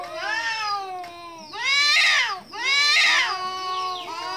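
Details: Kitten meowing in two loud, bright, drawn-out bursts with softer, lower meows between and around them. No other sounds.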